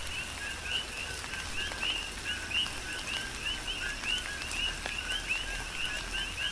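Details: Coqui frogs calling in a tropical rain shower on the Big Island of Hawaii; many overlapping short rising chirps repeat in a steady chorus, a few each second, over constant rain patter and scattered drips.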